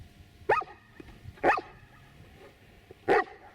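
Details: Giant Schnauzer barking on cue to answer a subtraction as a trained trick; three loud, abrupt barks, the first two a second apart and the third after a longer pause, over a quiet room.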